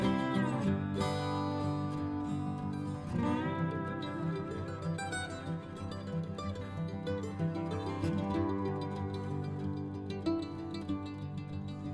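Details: Plucked string music, guitar-like with a busy strummed rhythm and steady low tones, fills the whole stretch with no barking heard.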